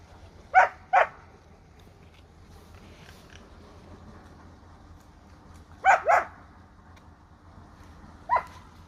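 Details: Rottweiler mother nursing an Indian-breed puppy: short, sharp harmonic barks in quick pairs, two pairs several seconds apart, then a single bark, over quiet indoor background.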